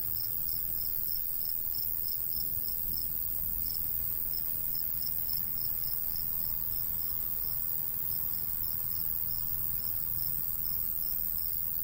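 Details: Crickets chirping in summer countryside beside a golden wheat field with a light breeze: steady, evenly spaced high chirps, roughly three per second, over a continuous high shrill hiss and a low rumble of wind.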